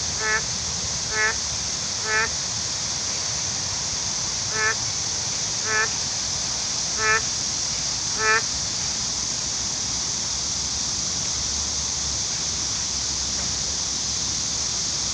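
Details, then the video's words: A lone frog calls along the Yudeungcheon stream after Typhoon Khanun has passed, giving short clicking croaks at irregular intervals, seven in about eight seconds, over a steady high hiss of insects or flowing water. "슬피우는 홀로 남은 개구리"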